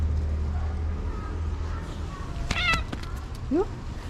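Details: Cute orange stray cat's coquettish greeting toward its feeder: faint mews early, a brief sharp harmonic call midway, then a quick rising chirp, amid clicks, low hum and voices.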